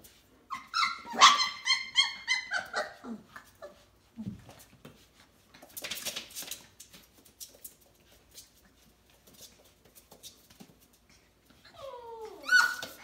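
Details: Bernedoodle (F1B) puppies, four weeks old, with their mother Maya, indoors in a small room: a burst of high, wavering whimpers and squeals with stacked tones early on, then scattered shuffling and clicks, and a final rising-falling whine near the end.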